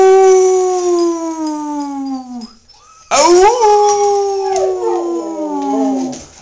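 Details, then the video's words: Momo, a male Siberian husky pet, howling on encouragement: a long, clear, slowly falling tone that fades out, a brief pause, then a second howl that swoops up and wavers with rising and falling bends. "Momo howling"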